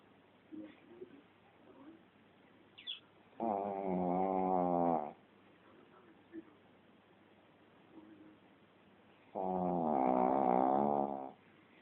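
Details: Shih Tzu snoring heavily in its sleep, two loud, harsh, vibrating snores about six seconds apart, each around one and a half seconds long, with soft breathing and faint noises in between.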